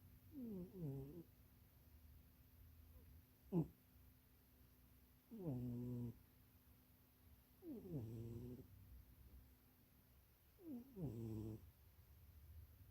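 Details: Munchie the cat napping in a box too small for it while dreaming, giving soft snores in four separate bursts, each a short falling, nasal snort with a low steady hum underneath, plus one brief sharp squeak near the middle.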